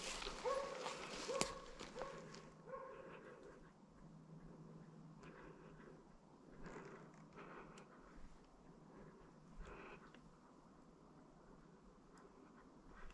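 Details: Slovakian hound named Arrow holding a wild boar at bay during a driven hunt with dogs in Sweden, November 2022; a cluster of sharp, distant barks in the first two seconds, then faint rustling and footsteps outdoors.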